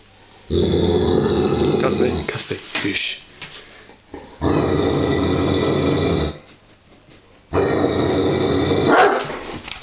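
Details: Giant Schnauzer, a large male dog uneasy about a wooden toy sheep covered in real sheepskin, growls in three long low rumbling bouts of a few seconds each, with brief human speech in the pauses.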